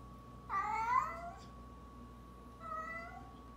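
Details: Orange tabby cat meowing indoors: two meows, a louder rising-then-falling one near the start and a shorter, softer one two seconds later, over a steady faint electrical hum.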